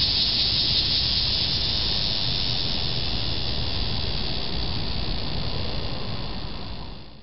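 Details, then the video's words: Annual cicada heard on 18 July 2008, the first of that summer season. A steady, harsh buzzing drone holds strong and even throughout, then fades away in the final second. "First Annual Cicada Call"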